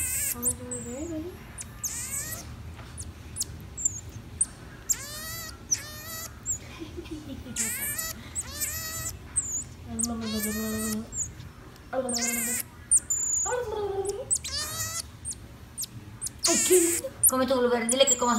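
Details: A pet common marmoset gives short, very high, thin whistles and chirps while eating blueberries as a woman talks nearby.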